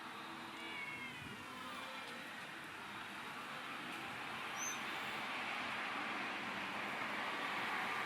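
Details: Stray cats being fed food, chicken and water; a few short, wavering harmonic meows come early, then fade into a steady, broad hiss of outdoor background noise with a faint vehicle-like rumble.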